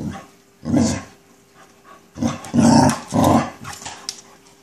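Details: A Chow Chow growls at a black ball in low, rumbling bursts with brief pauses between them.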